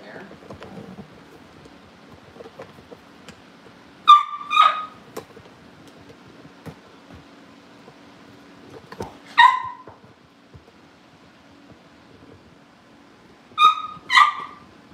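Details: Cavalier King Charles Spaniel puppies kept in a family home, getting ready for pick-up by their new families; short, high, ringing yips come in quick pairs at roughly five-second intervals, with a quiet indoor room between bursts.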